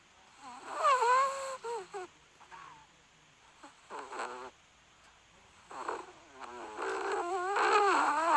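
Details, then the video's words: Dogs making noises while asleep: soft snuffling snores broken by wavering, whiny moans that rise and dip in short bursts, growing louder and more continuous toward the end, indoors. "Dogs that make noises when they sleep."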